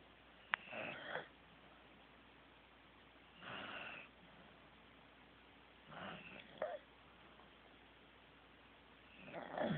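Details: Sleeping Corgi Teddy breathes in soft, raspy snores about every two and a half seconds, with a small click and a brief squeaky whistle between breaths in a quiet indoor setting.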